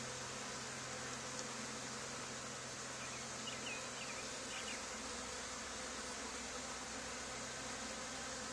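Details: Swarming honey bees gathering at a box beside an old barn where a hive was removed days earlier, making a dense, unbroken droning buzz that fills the whole recording with no pauses.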